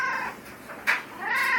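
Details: Domestic cat complaining after getting stuck in a tree and coming down a ladder; a short meow at the start, a sharp burst near the middle, then a longer rising meow, with a person speaking softly to it.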